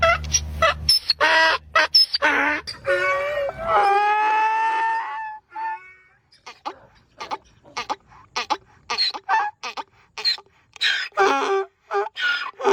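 A donkey gives a loud, harsh bray, rocking between a wheezy high note and a deeper honk before ending in a drawn-out groan. Human voices and brief bits of speech follow once the bray stops.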